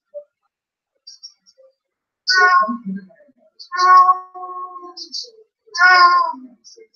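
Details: A female Blue Point Siamese cat, left home alone when her owner leaves, cries with three long, drawn-out meows, each rough at the start and then sliding downward.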